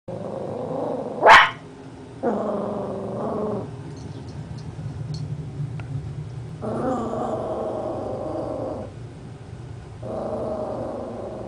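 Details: Blue heeler and chihuahua mix dog named Miracle reacting to her own reflection, giving long low growls in several drawn-out bouts, with one sharp yip early on.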